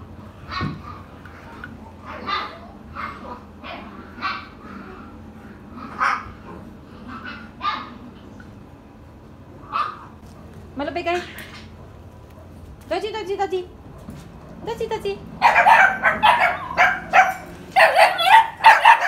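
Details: Dog giving a loose run of short sharp yips and barks about every half second, a couple of drawn-out rising whines midway, then a dense, loud burst of rapid yapping in the final seconds.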